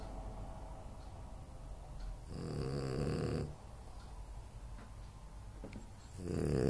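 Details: French Bulldog Anton Speck snoring in sleep: a rough, buzzing snore of about a second, a pause of soft breathing, then another snore beginning at the end.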